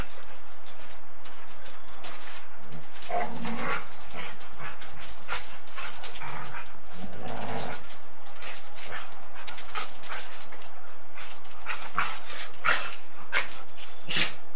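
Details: Golden Retriever and Samoyed playing bitey face and chasing each other, captured on 8mm tape: rough, irregular growling and huffing bursts with scuffling noise, a denser run of vocal sound around the middle, steady tape hiss throughout.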